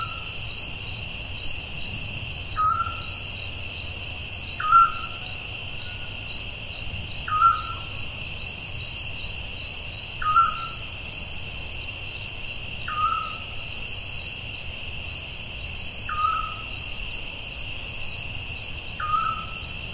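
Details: Night crickets in the forest keep up a continuous high buzzing trill with fast pulsed chirps, while a separate short, falling call from another animal repeats about every two to three seconds.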